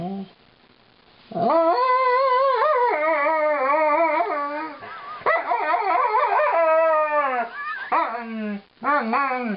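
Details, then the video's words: Female Alaskan Malamute singing a song of woe to her owners while being brushed: long sustained wavering howls with rich harmonics, sliding up and down in pitch, broken by brief gaps, recorded indoors. "My Funny Malamute - "Lightning" Sings the Brushin' Me Blues"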